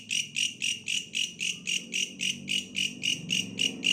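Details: A bush cricket gives rhythmic rasping chirps, about four each second, sharp and high, repeating regularly, while a soft low rumble sits underneath.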